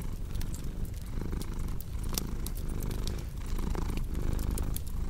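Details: Cat purring, a dense low vibrating rumble rising and falling in breath-length pulses, accompanied by scattered clicks and pops of a crackling fireplace.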